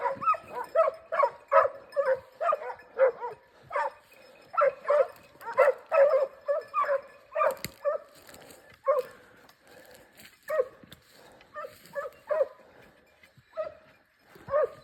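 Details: Segugio Italiano hound baying while hunting hare in a forest in Cyprus; rapid runs of yelping barks, repeated in bursts with short pauses, later spaced out and fading.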